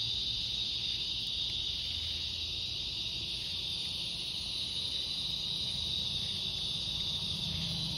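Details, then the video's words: Summer evening cicada chorus on August 4th, heard while strolling in the fading light: an unbroken, even, high-pitched buzzing drone with a faint low rumble underneath. "Evening Cicada Song Stroll"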